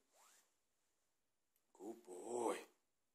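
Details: Four-month-old Cane Corso puppy named Ziki at food time, giving a drawn-out, wavering whine of nearly a second that rises and strains at its end, after a short faint rising squeak; indoor room, otherwise quiet.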